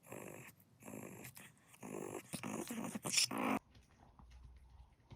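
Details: A Maltese displays its temper with a series of harsh, buzzy growls, about four long snarling bursts in quick succession, the last one loudest, before stopping abruptly into near-quiet.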